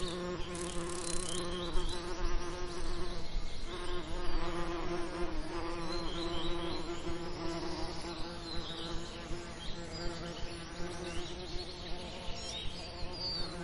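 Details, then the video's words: Summer lavender setting where bees hum continuously in a low, even drone that rises and fades as individuals fly near, accompanied by soft distant birdsong and light clicking sounds. "Lavender Summer Ambience & Bee Sound Effects"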